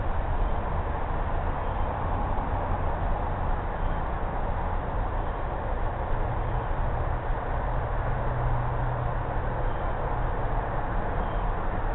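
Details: Steady low rumble of vehicle or train traffic fills the recording throughout, with no animal voice standing out above the noise.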